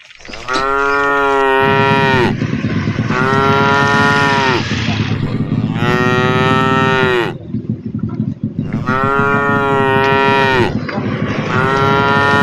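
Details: Tame cows in a herd walking through a forest, lowing: four long, loud harmonic moos of about two seconds each, overlapping and evenly spaced, over a steady low rumble of background noise.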